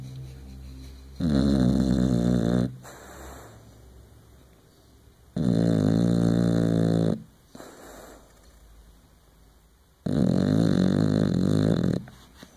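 An English Bulldog snores deeply, each inhalation a loud, low, rattling rumble lasting over a second. Quieter pauses fall between the snores, which repeat roughly every four seconds.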